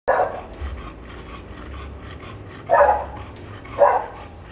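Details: American Bully at Quoc Pagoda Kennels during artificial insemination work: three short, rough barks, one at the start and two close together near the end, over a steady low hum.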